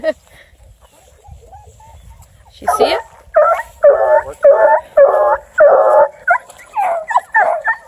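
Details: Female Bluetick Coonhound River Styx Indigo, ten months old and UKC registered, starting with soft whines, then letting out a burst of loud, full barks, about six evenly spaced, followed by higher yelps.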